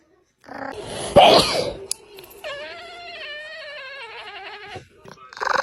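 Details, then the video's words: Domestic cat making strange noises indoors: a brief noisy burst, then a sustained, steady, harmonic yowl lasting about two seconds that wavers slightly before cutting off, with people talking and laughing in Russian around it. "A cat making strange noises"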